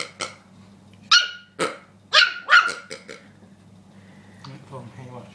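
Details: Rookie, a dog bothered by the pig, yaps a handful of high sharp barks in the first three seconds, then quieter voices and a faint whine follow.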